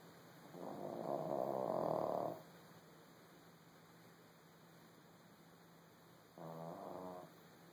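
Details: A small dog asleep after a tiring day, snoring indoors: two rasping, rumbling breaths, the first about two seconds long, then a shorter one after a quiet pause, over a faint steady hum.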